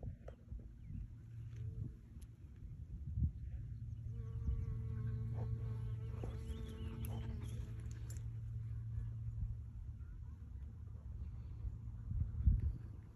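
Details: Honey bees working purple sheep's-bit flowers: a low, steady droning buzz swells for a few seconds as one comes close, with a brighter layered tone in the middle, then eases back into a soft background hum.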